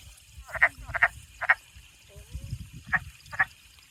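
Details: Wood frogs at the end of April, found on a spring hike, call with brief, raspy, duck-like clucking notes, singly or in quick pairs at an uneven pace, over a low background rumble.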